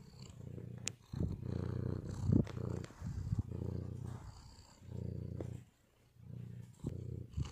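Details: Low throaty purr from a male white cat at rest, pulsing in breath-length waves of roughly a second or more, one near-silent gap toward the end, occasional faint clicks.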